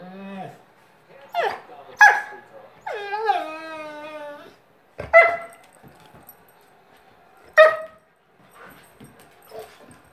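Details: Two-year-old Golden Retriever whining because it wants to play: high nasal whimpers, a drawn-out harmonic whine that slides downward, then sharp short yips spaced a few seconds apart, with brief quiet gaps between outbursts.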